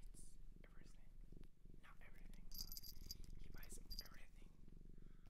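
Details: Indoors with a shelter cat in Japan, a low purring rumble continues steadily while whispered words and soft tapping sounds break in over the top.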